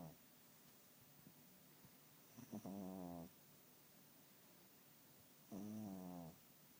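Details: Sleeping cat snoring loudly: two drawn-out, buzzy, rattling breaths about three seconds apart over a faint hiss, the first preceded by a few soft clicks.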